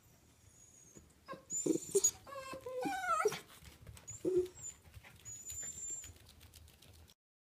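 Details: Pet smooth miniature Dachshund Choco, a nearly four-year-old female, gives a brief cluster of soft whimpers and short stepped whines with a couple of faint huffs, surrounded by quiet room noise and a thin high electronic tone.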